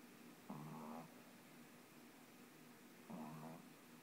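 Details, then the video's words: A Boston Terrier puppy falling asleep snores in two rough, rumbling breaths spaced a few seconds apart; its snoring gets very loud at times. "Betty the Boston Terrier Falling Asleep and Snoring"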